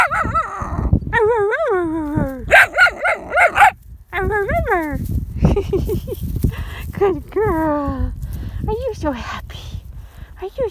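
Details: Iris, a 10-week-old female Standard Poodle puppy, gives a run of high, bending whines and short yips, several rising then falling in pitch, mixed with a woman's affectionate baby talk and some rustling and footsteps.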